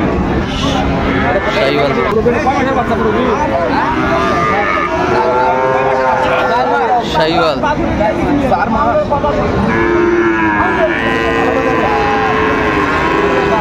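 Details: Moos from cattle at Raniganj market in Dinajpur, where Sahiwal bull calves are sold, 29 August 2024: several long, wavering bellows overlap amid loud human voices and bustle.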